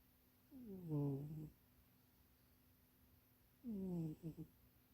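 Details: Munchie the cat, napping and dreaming inside a box that is too small, snores twice: each breath a droning, downward-sliding hum, the second ending in a few quick stuttering pulses.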